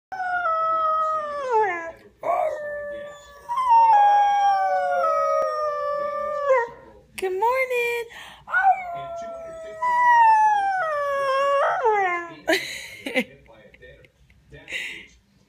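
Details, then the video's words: An Old English Sheepdog puppy, howling all morning, gives long, wavering, falling notes broken by short yips. "Old English Sheep dog howling"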